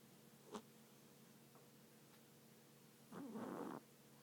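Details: Domestic cat asleep and snoring, one short rough, buzzing inhalation near the end after a soft click and near silence, over a steady low background hum.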